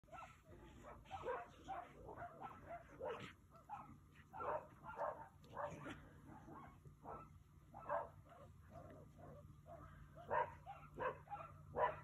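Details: Three coyotes playing or fighting just feet away, a series of short yipping and barking calls in irregular bursts over a steady low hum.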